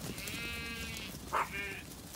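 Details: Zwartbles ewes bleat on a very hot day in County Kilkenny, Ireland, while being called and moved up a grassy lane to be held so their lambs can be sorted for a buyer; a wavering, nasal baa with a sharper cry midway.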